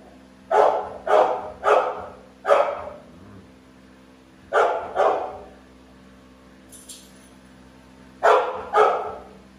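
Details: Two American Bully dogs barking: a run of four sharp, loud barks, a pause, then two more, and a final pair near the end, each bark short and forceful with uneven spacing.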